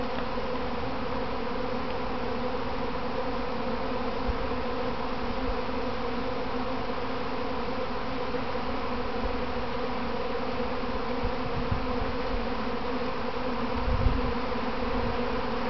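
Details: Honey bees from a kept hive during a practice swarm, clumping on their box before returning home; dense, steady droning hum with low rumbling handling noise and a brief louder knock near the end.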